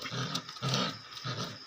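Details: Cookie, a very active and playful 45-day-old female Dogo Argentino puppy, gives three short low rumbling growls, each under half a second, with a breathy hiss over them, indoors in a small room.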